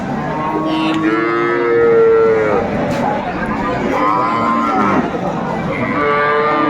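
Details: Dairy cows with calves at the Aftabganj livestock market in Dinajpur, mooing in long drawn harmonic calls that rise and fall, two main moos with a shorter one at the end, over busy market chatter and background noise.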